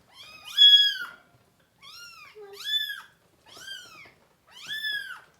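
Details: Kitten from a litter of three with the mother cat, indoors during deworming and feeding, cries in five clear high arched meows about one second apart, strongly harmonic, with near silence between.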